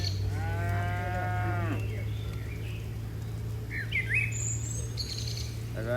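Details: Docile cattle in a large herd bounding down a mountain slope. One long, wavering moo opens the recording, followed by a steady low hum and scattered bird chirps and twitters.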